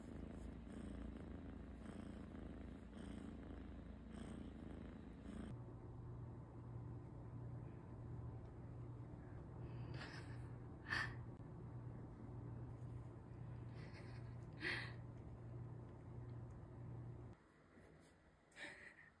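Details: Domestic cat purring: a low, steady rumble that pulses softly at first and then holds evenly, with a few faint clicks and taps and quiet background music.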